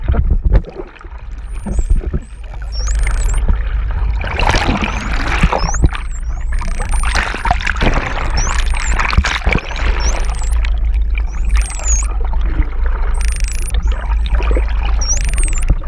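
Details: Hawaiian false killer whale mother and calf from cluster 1, filmed close up underwater on a GoPro off Oahu, Hawaii: wavy high whistles recur every second or two, with loud splashing, bubbling water and low rumble throughout.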